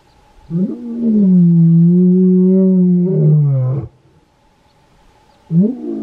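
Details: Wild lion in the Kgalagadi roaring to claim territory and contact pride members; one long, sustained, deep moan rising at the start and dropping at the end, followed after a pause by the start of another.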